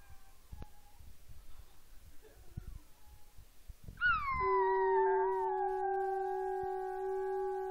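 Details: At home, a conch trumpet sets off a female Chihuahua-Miniature Pinscher cross. After quiet room noise, her howl bursts out high and slides downward into a long, wavering note above the sustained horn tone.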